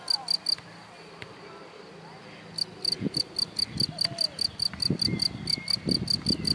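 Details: A grass-dwelling cricket gives a few shrill chirps, falls silent for about two seconds, then resumes a fast, even chirping train while low thumps and rustling sound nearby.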